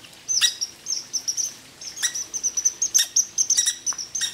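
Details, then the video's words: Red squirrel visiting a backyard feeding spot, a grumpy resident: a series of short, high, squeaky notes repeated several times a second, broken by a pause, with sharp clicking sounds mixed in. "Cute Red Squirrel Says - Are You Talking to Me?"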